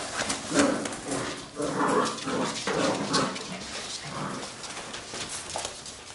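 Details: Labrador retriever puppies of a B litter at play, giving short, harmonic yelps and growly barks in uneven bursts at about one and two seconds and again near three seconds, with scuffling and rustling between them.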